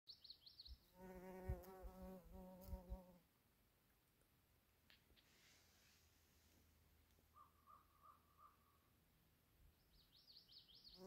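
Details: A female bumble bee pollinating purple flowers gives a low, droning buzz that swells for about two seconds, then fades into quiet background.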